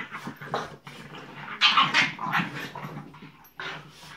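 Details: French Bulldog puppies Tinkerbell and Woody at play, giving short whimpering yelps and throaty growls in quick uneven bursts, louder in the middle, mixed with brief scraping and clattering sounds.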